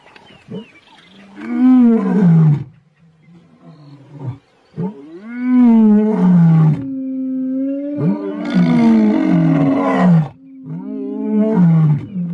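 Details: Lion of South Africa roaring in the wild: long, moaning, strongly harmonic calls that rise and then fall in pitch, four drawn-out bouts separated by brief lulls.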